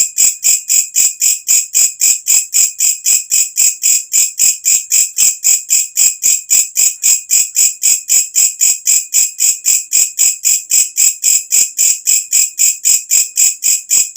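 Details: At night a katydid gives its piercing call, prized as a tutor sound for cage birds: rapid, regular, shrill rasps repeated nearly four times per second without pause, each a short buzzy burst.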